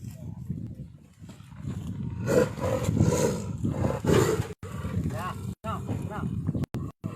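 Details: Healthy Sumatran tiger held in a conservation agency trap, Saturday 7 March 2020, Singgersing village, Sultan Daulat district, Subulussalam, Aceh, Indonesia. Harsh, broadband roaring bursts near the middle, several seconds apart, while people talk throughout.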